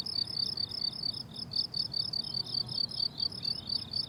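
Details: Summer meadow crickets chirping in quick, even pulses, roughly two to three per second, bright and high-pitched, layered over a soft low rumble of ambient noise.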